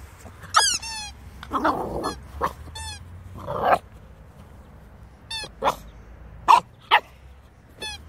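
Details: Two-month-old Staffordshire Bull Terrier puppy mixing sharp squeaky yelps and falling whines with a few harsh, growly barks, short bursts separated by pauses, low hum underneath.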